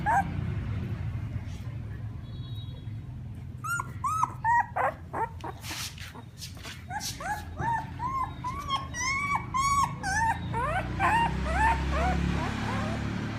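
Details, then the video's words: Puppies calling their mother, crying in a dense chorus of high, arching whimpers that rise and fall, many overlapping yelps after a quieter start with low rumbling background noise. "Sounds Puppies call their mother ||Puppy crying sound"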